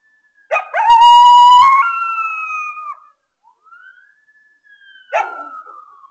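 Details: Coyote howling at 3:36 am on August 25, 2022: a loud, harsh onset swells into a strong sustained wail that steps slightly lower and fades. A softer rising-and-falling note follows, then a second abrupt cry that slides downward.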